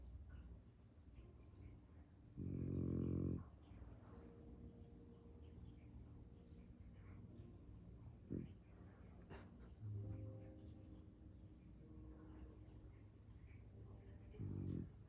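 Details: French Bulldog dozing face-down in a couch, letting out one rough, buzzy snore early on, followed by quieter wheezy breaths and a short snort near the end, in a quiet room.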